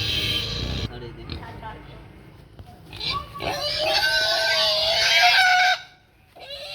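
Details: Pig caught by hunters at Fakirhat, squealing in a loud, sustained, harsh scream that rises and holds for about two seconds before cutting off, with people shouting around it.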